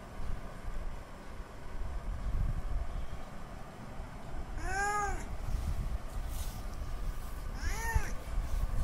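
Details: Male domestic cat calling to a female in heat for mating: two drawn-out, arching meows several seconds apart, rising then falling in pitch, over a steady low rumble of background noise.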